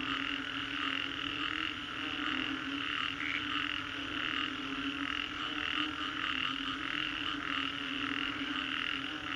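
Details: Post-storm frog chorus, Green Corridor, Singapore: continuous layered croaking with regular pulses in two pitch bands, one brief brighter note standing out, steady background hum.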